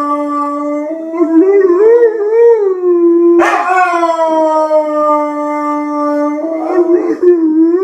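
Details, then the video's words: Howling red Dobermann, said to be singing the blues, delivers one continuous drawn-out howl that wavers up and down in pitch, swells into a louder burst midway, then settles into a steady tone before a final wobbling rise. "red doberman sings"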